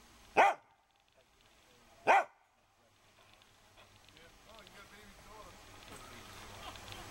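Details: Pet dog Maggie barks for attention at 12:31 PM on Sunday, September 16, 2012, recorded on a Canon PowerShot SX260 HS. Two short, loud barks come about two seconds apart, followed by quiet background murmur and faint talking.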